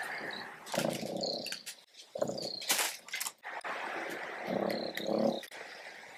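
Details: A pet fennec fox gives bursts of harsh, raspy chatter mixed with thin, high squeaky whines, apparently the warning call fennecs use to alert family to a predator near the den.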